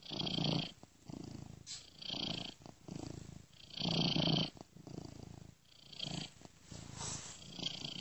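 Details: Sleeping domestic cat purring gently, looped seamlessly and panned ear to ear by software; soft rolling purr rises and falls in regular breath-like pulses roughly every 1.7 seconds, with airy upper hiss on each pulse.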